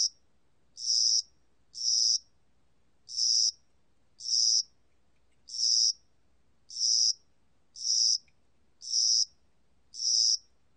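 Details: Cricket of spring and summer in Korea giving high, buzzy pulses roughly once a second, with a slightly uneven rhythm and a brief gap early on; background otherwise silent.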